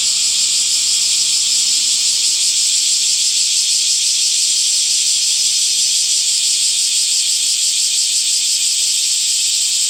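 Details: Many cicadas buzzing in summer greenery: a loud, constant, high rasping hum with a fine fast rattle, sustained for nearly ten seconds, a faint low hum early on.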